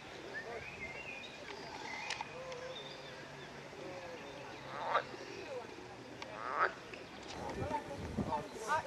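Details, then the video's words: Edible frog, a fertile hybrid of the pool frog and marsh frog, in a rose park in Chorzów, Poland; a few loud rattling croaks in short bursts, sparse at first then clustered near the end, over a steady background hiss with faint bird whistles. "ŻABA WODNA"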